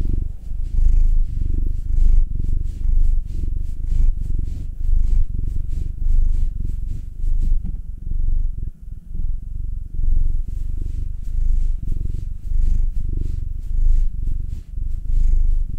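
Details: Steady low rumbling purr from pet cats being massaged, a black male Will aged nine or Anzu, a young female Munchkin; rapid pulsing drone rising and falling with each breath, briefly quieter midway, otherwise unbroken.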